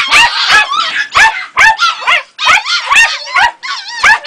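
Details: Jagdterrier puppy, a female two and a half months old, giving rapid high-pitched yips and wavering whines, roughly two per second, bursts separated by brief silences.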